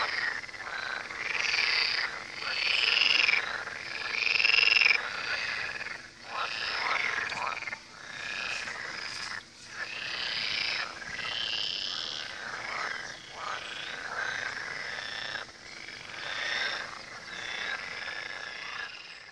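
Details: Riverside frog chorus at the Tywa: rapid, grating croaks pulse about three to four times a second, overlapping loosely, with the whole chorus rising and dipping in volume every few seconds.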